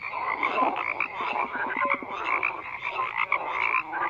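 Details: Many frogs calling at once: continuous layered croaks and brief tonal chirps forming an unbroken, buzzy chorus without pauses, no other animals or people audible.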